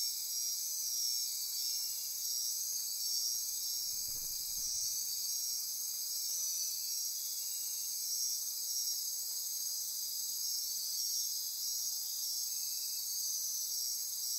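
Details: Costa Rican rainforest at midnight near Corcovado: continuous high insect trilling and buzzing in layered bands, with a brief low soft rumble around the fourth second beneath the steady chorus.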